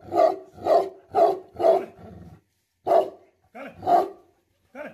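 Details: Tibetan Mastiff (Bhote Kukur) barking angrily: four quick heavy barks in a row, then a low growl, followed by three more scattered barks after a short silence.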